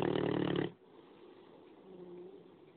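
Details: A 9-month-old male Great Dane puppy lets out a single deep, rattling snore lasting under a second. Soft, slow breathing follows, with a faint whistle near the end; his snoring keeps everyone awake.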